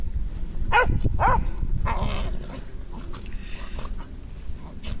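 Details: Wrestling terrier giving two quick, high, ringing yips about half a second apart, followed by softer scuffling growls and snorts, with constant low background rumble.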